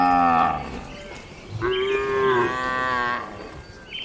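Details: Night-time cattle in a traditional shed: a short moo fading out, then a longer, steady, drawn-out low moo, and a brief higher call at the end.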